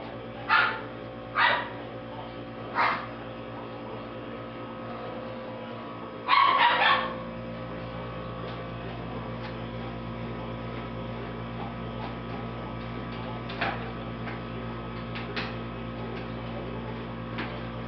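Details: Poodle puppies playing on agility equipment: several short sharp barks in the first seven seconds, the loudest a double bark near the middle, then only faint yips over a steady low hum.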